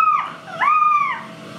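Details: An Irish Black and Tan Jack Russell Terrier puppy, one of a litter of four born October 2014, gives two clear whines: a brief dropping squeak, then a longer even whistle-like whimper that rises, holds, and falls away.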